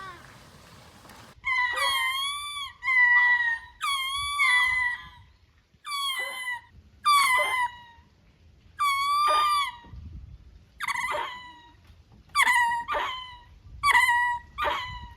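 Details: Ring-tailed lemurs sunbathing in a group at the cage-free area of Japan Monkey Centre, Inuyama, Aichi, in winter (22 Dec 2025) suddenly break into a loud chorus of cat-like, rising and falling mewing wails.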